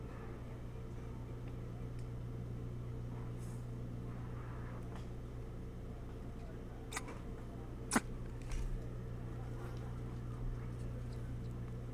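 Steady low mechanical hum with a few faint clicks and knocks, and no animal calls.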